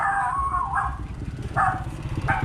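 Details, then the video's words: Newborn puppies whining: drawn-out, tonal squeals held for about a second, then shorter rising whines near 1.6 and 2.3 seconds, over a low background rumble. "หมาเห่า ลูกหมาเกิดใหม่"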